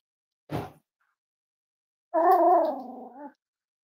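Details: Five-week-old Cavalier King Charles Spaniel puppies from Myra and Remy's litter, indoors on a chilly morning during weight checks: a brief rough burst, then a drawn-out harmonic whine wavering in pitch for about a second before fading.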